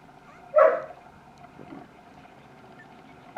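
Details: Single French Bulldog puppy bark at a Tokyo breeder in Japan's Kanto region, a brief yelp with a clear tone, followed by a soft muffled sound and a sudden click at the end over a low steady hum.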